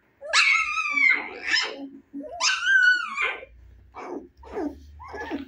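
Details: Young Husky pups, 25 days after birth and eager to play, give two long high whining cries, each bending downward, then a few short scratchy yelps.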